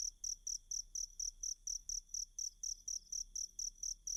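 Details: Cricket song played to teach a pet kacer bird to imitate it. Sharp, high chirps come in an even train, roughly every quarter second, clean and uninterrupted over a quiet background.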